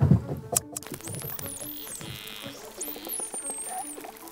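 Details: Dolphins off Portugal's Algarve coast, recorded by hydrophone, give rapid trains of sharp echolocation clicks used like sonar, with high sweeping whistles over them.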